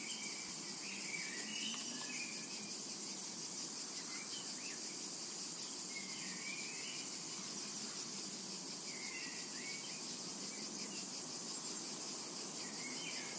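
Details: Unbroken shrill insect buzz of cicadas in a summer meadow, pulsing lightly at the top, overlaid by repeated short bird chirps and twitters across the recording.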